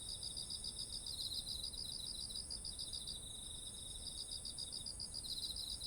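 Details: Beside autumn rice fields full of ripe ears, insects chirp in rapid pulsed series, one run pausing near the third second before resuming, under a steady piercing high trill; ZOOM H1essential recording with soft low background noise.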